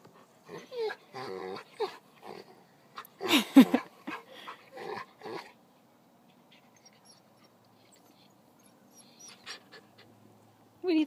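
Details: Play-fighting dogs give a run of loud, tonal growls and grumbling snarls with panting breaths, building to a peak of rough vocal bursts before a long quieter stretch and a final loud growl.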